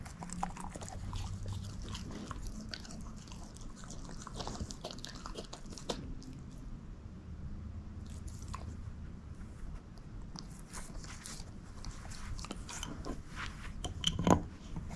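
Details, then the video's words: Moose the shepherd mix works steadily at a bone, producing continuous low grinding with intermittent crisp crunches and a sharp crack near the close. "SHEPHERD EATING BONE ASMR"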